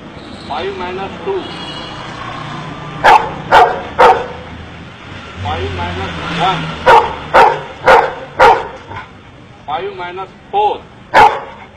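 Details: Dog learning to count in India, giving short bursts of sharp barks between a man's spoken numbers, with low background rumble.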